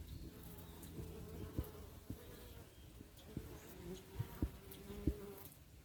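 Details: Africanized honey bees at a bee yard apiary in October 2021, giving a low, steady droning hum with faint layered overtones, broken by several sharp knocks and clicks.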